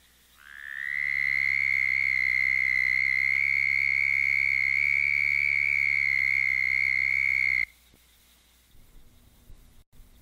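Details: A Southern Toad (Bufo terrestris) gives its breeding-season mating trill, long, high, steady and musical, about seven seconds, made by air forced over the vocal cords about 75 times per second; such choruses follow heavy rains at night.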